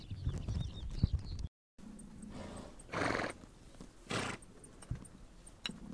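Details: Horses on the Mongolian steppe blowing two breathy, broadband snorts about a second apart, over a low rumbling background and soft thuds that suggest hoof movement.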